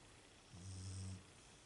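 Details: One deep, buzzing snore lasting under a second from a sleeping female Beagle, low and rumbling, rising then fading out.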